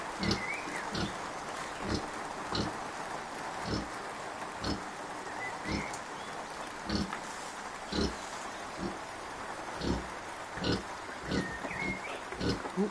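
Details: Kunekune sow Bella, unwell but feeding her 5-day-old piglets well. Short, soft, low grunts recur steadily under a rain-like hiss, with a faint high squeak now and then.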